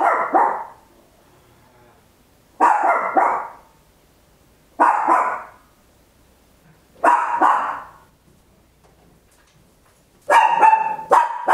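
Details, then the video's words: Papillon, a tiny dog, barking very loud at home, captured in stereo with an Olympus LS-11: five sharp, harsh barks spaced about every two and a half seconds, the last one doubled, in a quiet room. "Tiny Dog Barking Very Loud, Papillon"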